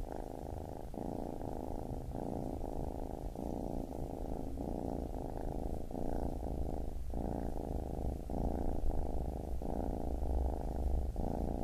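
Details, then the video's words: Low, throbbing purring of a baby kitten, rhythmic inhale and exhale segments repeating roughly every second, with a steady rumble throughout and a calm, quiet setting. "Baby Kitten Purring"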